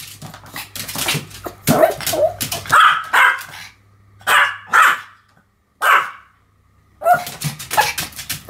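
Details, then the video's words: Pomeranians Sam and Marin barking in a duet, high yappy barks in irregular bursts mixed with clattering and rustling household noise, a short silence, then more barks and clatter. "犬の鳴き声 ポメラニアン サム マリン デュエット吠え"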